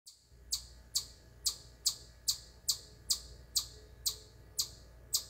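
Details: A chipmunk on a corner of a deck at camp gives sharp, high chirps about twice a second, non-stop and apparently unthreatened even when yelled at.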